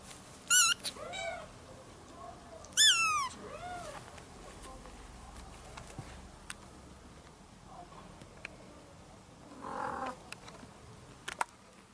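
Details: Young kitten calling its mother with two loud, clear meows about two seconds apart near the start. Each is bright and harmonic and bends upward then down. Softer fainter sounds and quiet room noise follow.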